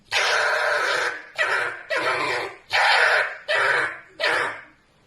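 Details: A pet red fox (Vulpes vulpes) gives a string of harsh, raspy screams, each about a second long, while sleeping.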